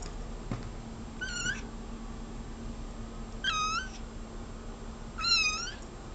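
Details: Pet cat indoors meowing nonstop at a bug on the wall: three drawn-out, rising-then-falling meows, one roughly every two seconds, over a steady low room hum.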